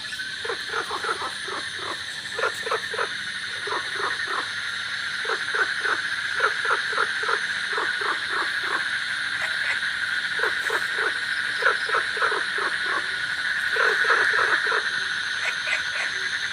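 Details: In a village during the rainy season, golden frogs and cola frogs give rapid, pulsed croaks in clustered bursts over a steady hum of crickets.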